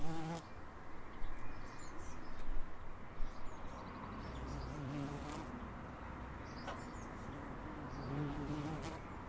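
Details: Low, continuous humming of bees in a suburb of Edinburgh, steady after a louder opening, with faint bird twitters and occasional soft clicks in the background.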